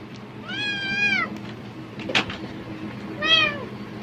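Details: Cat reacting to plastic bag sounds in hope of food, giving two fairly soft, level meows about two and a half seconds apart, with a brief rustling crackle between them.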